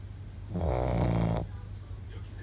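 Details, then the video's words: A Shih Tzu, tired after an outing, gives one loud, rumbling snore lasting about a second, low and rattling. "【シーズー】お出かけで疲れていびきがすごい【shih tzu】【snoring loudly】"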